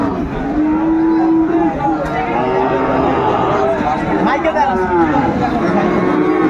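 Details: Sahiwal bull at a cattle market on 9 May 2024, bought by a farmer from Mymensingh, Bangladesh: a low, steady moo held for over a second near the start, with busy crowd chatter and men bargaining in Bengali throughout.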